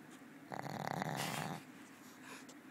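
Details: Old female Pug snoring while sleeping indoors, as she does most of the time; one soft, rasping snore about a second long, with a quiet room hum around it.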